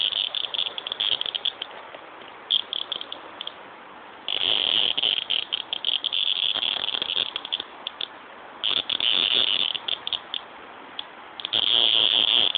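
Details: Cicada call in long high buzzing bursts, each lasting a few seconds and separated by quieter pauses, a harsh, even rattle with faint background noise between the phrases.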